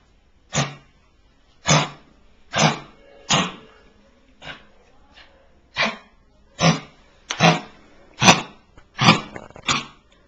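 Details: A rescued Lakeland Terrier, Marley, kept in hospital with a lung infection, gives a run of about a dozen short, punchy barks, evenly paced near one per second, over a quiet indoor background with a low hum.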